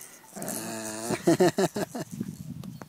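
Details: Jack Russell Terrier family with 5-week-old puppies playing in a back yard: a drawn-out harmonic whine, then a quick run of about six sharp, falling yelps, ending in low grumbling growls.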